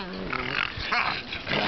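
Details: Seven-month-old pet pug puppy making crazy noises: a continuous raspy, harmonic grunting and snorting that wavers in pitch for under two seconds, with no pauses.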